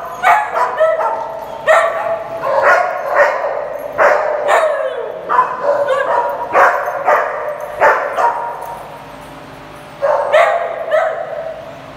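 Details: A small play group of dogs barking rapidly in clusters of quick, overlapping barks, several per second at times, pausing briefly near the end before a final volley of yips.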